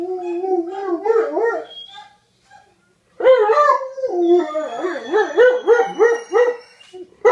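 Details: Old and young male dogs howling as mating calls while a female is in heat: short bouncing, yodelling howls in two bursts separated by a brief silence, the second burst choppy and wavering.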